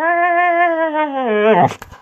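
A Siberian husky puppy sings a long, wavering howl in greeting, sliding lower before breaking off.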